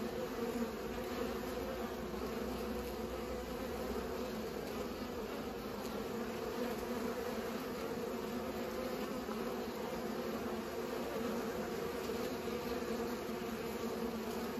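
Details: Steady drone of bees at work pollinating, a dense unbroken buzz with stacked low tones sustained throughout.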